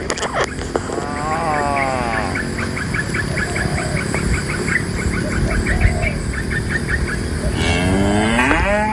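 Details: Cows being brought from the forest into the pen; a wavering moo early on and another swelling moo at the end, separated by a stretch of fast, evenly repeated high chirps and a constant low rumble of movement.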